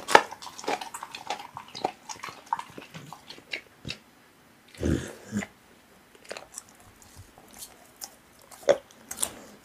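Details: Raw meat being eaten by a pit bull, with sparse, quieter wet clicks and smacks, a heavier chomp near the middle, and short silent pauses between the bites.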